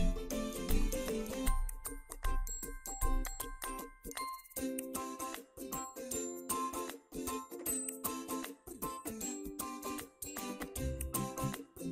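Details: Bright children's-style music with chiming bell tones and plucked melodic notes over a bouncy rhythm; no animal voices are heard.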